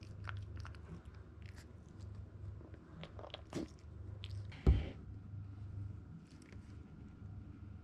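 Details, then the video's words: Zen, a male Toy Poodle puppy 62 days old from Japan, crunching grain-free kibble indoors; irregular crisp bites and chewing with one sharp louder knock midway, over a low constant hum. "TOY POODLE PUPPY | Food Preparation | Weighing & Eating Food"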